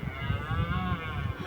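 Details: Red deer stag in Richmond Park during the rut, one of two males with their harem of females, calling repeatedly: a deep, harsh, droning bellow with a rich stack of low harmonics and slight wavering, sustained steadily through the clip.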